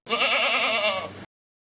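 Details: Goat bleating once in a drawn-out, wavering, nasal cry of just over a second, with a quivering tremolo throughout, then silence.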